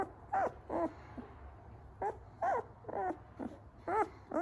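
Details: Ten-day-old European Doberman puppy from a Vancouver, BC breeder, indoors: short high whimpers with wavering, arched tones, about two to three per second in uneven bursts, separated by brief quiet gaps.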